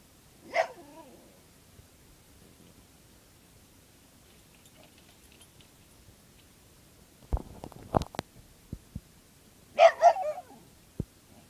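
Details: Dog barking at a cicada shell, giving one sharp bark early on, then rustling and clattering, and two more close barks near the end.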